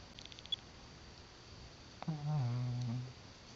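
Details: Sleeping dog Brownie gives one low, humming snore about a second long, steady and buzzy with rich overtones, preceded by faint clicks in a quiet room.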